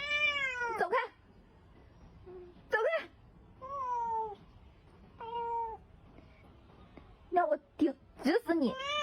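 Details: Cat meowing while giving love bites indoors: drawn-out, falling meows about a second long, then short sharp cries near the end, with silent gaps between.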